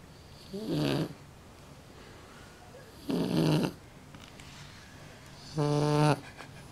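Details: Shar Pei dog snoring: three rasping, noisy breaths roughly every two and a half seconds, the last turning more tonal and buzzy, with a quiet room hush between them.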